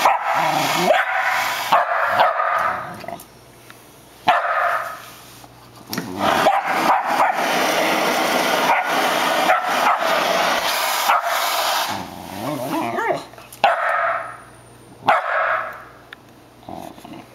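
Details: Shetland Sheepdog indoors barking to fight off a running floor vacuum it dislikes; bursts of sharp barks and yips come in quick uneven runs between pauses, over the steady roar of the vacuum.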